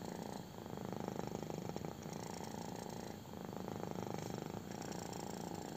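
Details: A kitten purrs loudly while its belly is rubbed; rapid buzzing pulses form a steady low rumble, interrupted by short inhalation gaps roughly every one and a half seconds, with soft hand-on-fur swishing.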